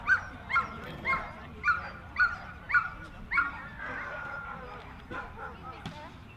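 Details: Jack Russell Terrier at the Jack Russell Terrier Club of NSW Speciality Show, Dogs NSW Showgrounds, Orchard Hills, 15 October 2015: six sharp high barks roughly every half second, then a busy hall murmur of voices.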